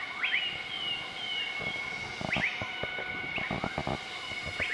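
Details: Group of southern white-cheeked gibbons duetting their morning call on 20 March 2014 in Nakai-Nam Theun National Protected Area, central-eastern Laos; rising whoops sweeping upward, followed by rapid ascending notes and clicks over a steady forest hum.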